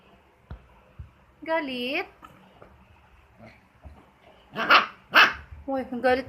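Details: Two-month-old pet husky puppy giving short wavering yowls and a couple of sharp yelps, with quiet thumps between.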